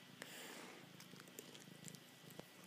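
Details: Male house cat Cookie, indoors in an office, mid ritual love attack, climbing all over his owner: a soft, continuous low rumbling purr with steady pulsing, close up, with light rustling and clicks.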